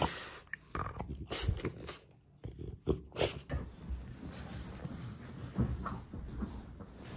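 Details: French bulldog in the first minutes after waking up, giving irregular breathy snorts and low rough grunts in short bursts, with snuffling breaths between them and a faint steady hum throughout.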